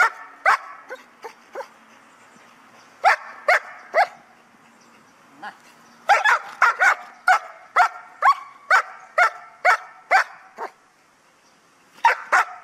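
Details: Trained guard dog from a Vietnamese kennel in Hà Tĩnh, guarding items during an exercise, barks in repeated bursts, about two barks per second, with short pauses between volleys across twelve seconds.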